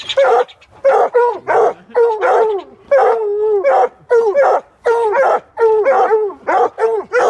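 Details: Several coonhounds bark at a squirrel trapped in a pig sculpture: a steady series of about a dozen harsh, yowling barks over seven seconds, each call bending downward at its end.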